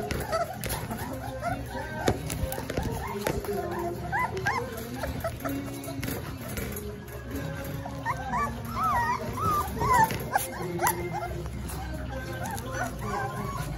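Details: Rottweiler puppies at 26 days old squeal and whine in high, wavering notes over background music.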